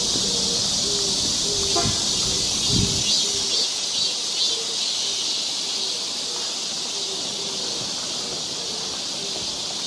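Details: Cicadas in a Korean summer forest near Seoul keep up an unbroken high buzzing drone, while a faint short repeated lower tone and a few footstep thuds sound beneath.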